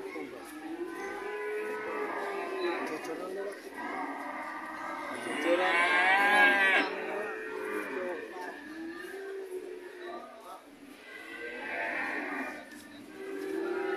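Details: Several white cows moo almost without pause, long wavering calls layered over each other, with a louder, higher-pitched bellow swelling in the middle before the chorus settles into lower, steadier moos.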